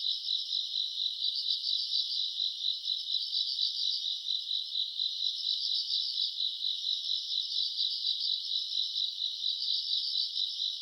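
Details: Grass insects calling on an August summer night: bright, high trills pulse in rapid clusters over a constant shrill hum, with a faint upper overtone drifting in and out.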